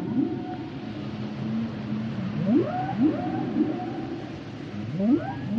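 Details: Humpback whale song underwater: a long low steady moan, then rising upswept whoops climbing sharply in pitch, repeated in quick pairs, with faint higher tonal notes and a soft hiss of sea noise behind.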